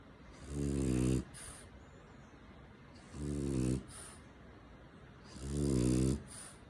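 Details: Hori, a French Bulldog, snoring while cuddled in someone's arms indoors: three long, rumbling snores about every two and a half seconds, each a low buzzy inhale followed by a brief wheezy hiss.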